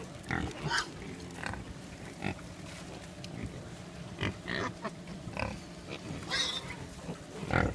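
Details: Wild boars (Sus scrofa) on a roadside along road 309 on New Zealand's Coromandel Peninsula grunt in short, rough bursts repeated every second or so.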